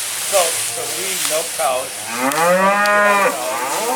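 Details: Black Angus cows with spring-born calves, sold as cow-calf pairs at a Minnesota sales barn, give a long rising then falling moo with harmonic bands, preceded by shorter lower calls; applause and barn chatter underneath.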